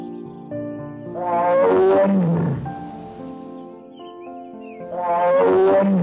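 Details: Tiger roaring twice, a long falling growl with rich harmonics around two seconds in and again near five seconds, set over steady background music.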